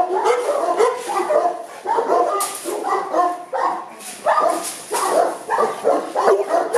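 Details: Kennel Boerboels at Aubin Boerboels in Accra barking almost without pause, harsh overlapping woofs crowding together into a steady, noisy chorus with a few sharper yelps mixed in.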